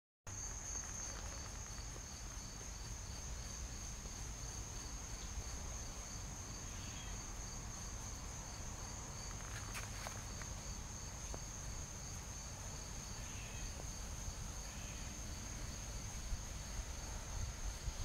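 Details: A pale yellow tree cricket (Oecanthus exclamationis), apparently in Pennsylvania, gives a steady, high, unbroken trill over a low background rumble.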